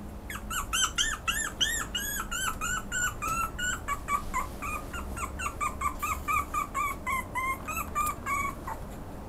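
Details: Pomeranian yelping nonstop in a room: rapid, high-pitched arched whines and yips tumbling over one another for about nine seconds, pitch sagging slightly midway, with a constant low hum beneath.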